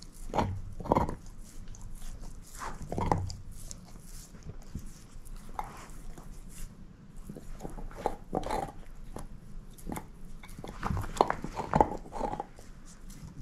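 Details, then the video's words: Shepherd mix dog named Moose eating a bone, no talking: irregular clicking crunches and sharp bites scattered through the clip, some louder grinding bursts near the start and toward the end, otherwise quiet room. "SHEPHERD EATING BONE ASMR"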